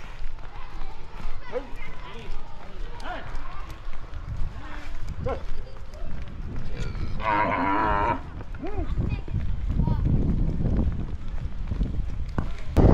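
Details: Hallikar bulls of Appalappa at Santhe Kallahalli, Chintamani taluk, give a low bellowing moo amid outdoor chatter, with a rising wavering call near the middle and voices talking throughout.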